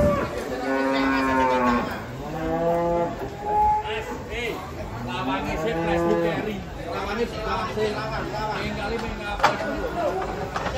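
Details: Three cattle, described as angry and out of control, moo while being unloaded from a truck. Loud, drawn-out harmonic lows rise and fall in overlapping calls, with people shouting warnings nearby.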